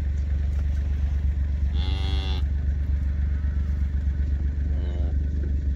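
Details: Black Hereford calf on a calf scale at Schroeder's Black Herefords during processing: one short, strong harmonic bawl, then a fainter brief call a few seconds later, beneath steady loud engine rumble.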